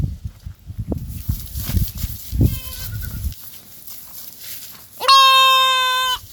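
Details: A goat's bleat: one faint short bleat comes amid rustling and thumping, then a loud, steady, nasal bleat of over a second near the end.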